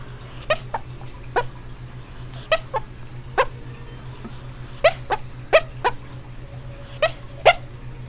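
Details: A female pet dog, asleep and dreaming, gives short, sharp muffled yips in irregular bursts, about a dozen across eight seconds, some in quick pairs, over a steady low electrical hum.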